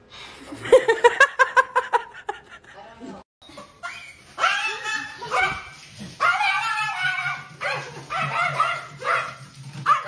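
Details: Dog named Kobe, prompted by an owner to speak and say hi, gives a quick run of short, sharp yipping barks in the first two seconds, then a person talks over the rest.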